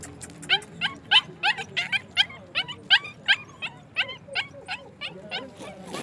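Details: Afghan Kuchi dogs in Pakistan giving a fast run of sharp, high yelping barks, roughly three per second, each with a quick rising-then-falling bend, steady and insistent throughout, with faint background hum.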